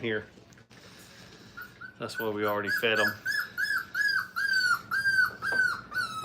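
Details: Five-week-old Brittany puppies playing at a training kennel: after a brief human voice, a steady run of high, thin whimpering yips, each a short falling whine, repeats about twice a second indoors.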